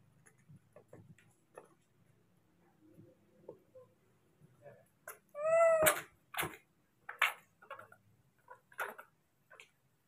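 A young monkey calls for its father to bring food, producing a rising-then-falling wail with a rich, harmonic tone. Sharp clicks and knocking sounds are heard around the call.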